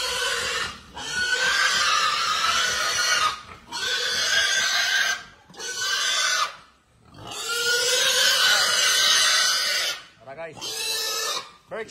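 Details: Berkshire x Pietrain gilt, a young female crossbred pig on a hog farm, giving loud, harsh, noisy squeals in drawn-out bursts of one to two seconds, separated by brief pauses.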